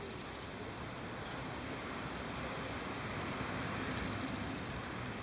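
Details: A singing male large gold grasshopper (Chrysochraon dispar), recorded in Berlin on 7 July 2011, gives short, high, rasping bursts of rapidly pulsed chirps separated by pauses.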